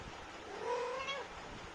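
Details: Talkative mother Indian street cat speaking to her kittens with a single drawn-out meow that climbs gently and dips at the end, set against low steady hiss.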